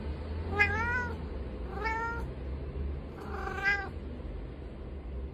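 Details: Domestic cat meowing three times, each a drawn-out wavering cry about half a second long, spaced one to two seconds apart, with a low hum underneath.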